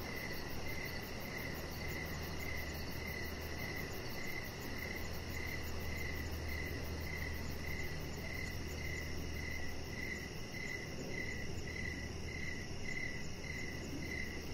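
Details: Crickets calling at evening outdoors beside a deck: a tidy rhythm of short shrill chirps at an even pace, a fine high ticking above, and steady broadband hiss with a low hum.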